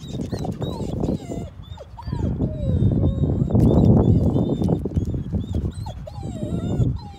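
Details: Dog on a walk with a companion dog, heading to the home of their boxer friend Nikki, who was not outside that day; thin high whines slide up and down repeatedly over steady footsteps and rustling, with small birds chirping overhead.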